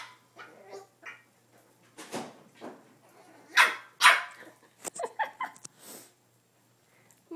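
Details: Boston Terrier, female, barking at her own reflection in a mirror as if at another dog she wants to play with; short sharp barks and yips in irregular bursts, loudest around the middle, with quieter snuffles between.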